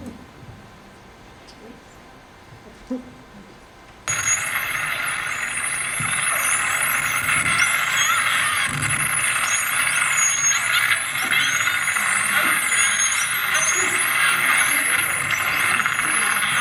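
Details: Spinner dolphin; whistles; socializing and greeting when separate groups come together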